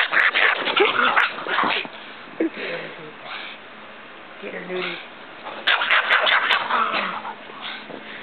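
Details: A pug, angry while wearing a snowsuit and playing outside in snow with a Great Pyrenees, gives bursts of harsh, rapid yipping and growly vocalizing, loud at the start and again near the end, with quieter grumbling between.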